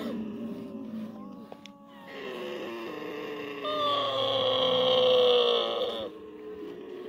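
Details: Camel being milked by hand, giving a low grumbling groan that swells into a long, drawn-out harmonic moan, loudest midway, then drops back to a quieter rumble.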